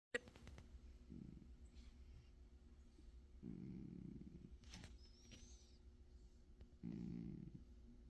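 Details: Sleeping cat snoring, with three soft, low, breathy rasps spaced a few seconds apart over a quiet indoor background.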